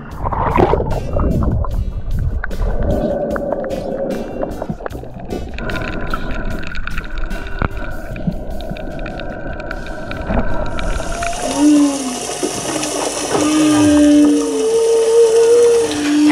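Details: A humpback whale sings underwater off Tonga, possibly a kilometre away, with low moans and rising whistled notes over crackling water noise; the sound is produced by squeezing air through valves in the chest.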